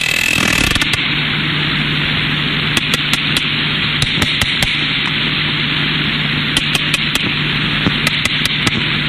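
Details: A small group of three or four sperm whales, recorded by hydrophone offshore North Carolina, click: sharp, hammer-like knocks like a nail hit with a hammer, in loose, irregular bursts over a steady underwater hiss.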